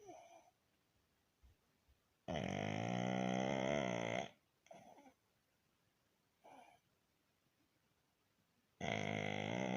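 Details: Pug Baron snoring at rest: two long, harsh, vibrating snores, each about two seconds, roughly six seconds apart. Shorter soft snorts and breaths fall between them.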